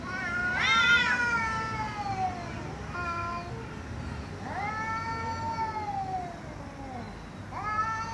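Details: Loud cat meows, a sharp rising wail at the start followed by shorter calls and a long falling meow, then another rising call near the end, over a faint low hum.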